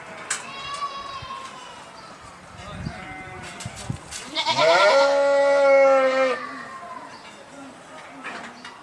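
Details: Sheep letting out one strong bleat that rises then levels into a long steady tone, preceded by softer low calls and scattered clicks and knocks in the background.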